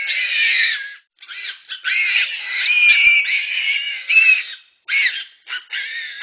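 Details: Togean Islands babirusas fighting a reticulated python. Intense, piercing squeals rise and fall in long harmonic screams, cut by two brief silences and a few sharp clicks, ending in short choppy squeal bursts.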